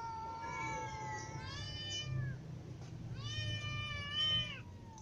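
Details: Ginger cat alongside little and adult cats meowing out of hunger: overlapping drawn-out meows, one falling in pitch, then a loud rising meow, with a low hum beneath.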